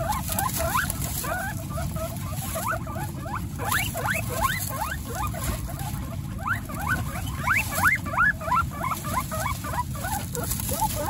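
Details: Domestic guinea pig mother with her babies, part of a household of 29 guinea pigs; rapid, uneven series of short rising squeaks, several per second, over a steady low rumbling background.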